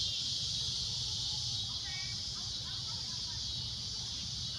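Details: At sunset a cicada keeps up a steady, shrill, high droning buzz while a few faint bird chirps sound around the two-second mark over low rumble.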